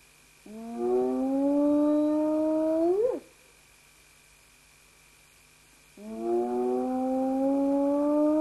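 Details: Spotted hyena whooping: a long, drawn-out, rising hoot with strong harmonics ends in a quick upward flick and cutoff. After a pause of nearly three seconds a second whoop begins, also steadily rising. A faint steady hum runs underneath.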